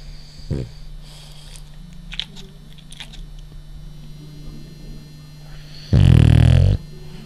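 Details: French bulldog, a male, asleep and snoring: a brief snort near the start, quiet breathing and faint rustles, then one long, loud, rattling snore lasting almost a second, over a steady low hum.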